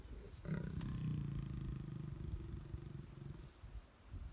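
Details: Pair of lions mating in long grass, Klein's Camp, Tanzania, April 2019; a sudden loud deep snarl that fades into rough rumbling growls over a few seconds, with faint high insect chirps behind.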